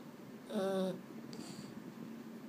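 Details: Boston Terrier, one of two males named Mambo and Cub, restless at bedtime and unable to sleep, gives a single short tonal whine with a rising-then-falling bend, lasting about half a second, then quiet room noise.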